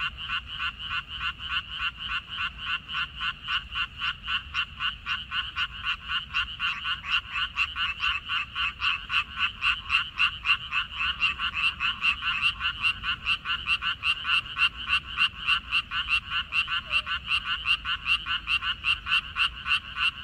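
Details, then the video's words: A dense chorus of many frogs in a minari field, May 2021. Overlapping rapid croaks merge into an almost continuous pulsing rattle, loud and unbroken for twenty seconds, with a soft low rumble beneath. "고향 생각 나게 해주는 개구리 소리, 미나리밭의 그놈들, Croaks of Frogs, Sounds of frogs, Song of frogs"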